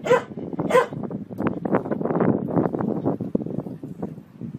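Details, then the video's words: Two quick dog barks open the recording, then dense, continuous clattering and chatter-like noise fills the rest. "Funny dog barking videos compilation"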